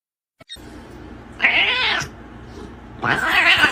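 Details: Domestic cat giving two harsh, noisy yowls, each about half a second or more long, separated by a quieter gap with low background hum.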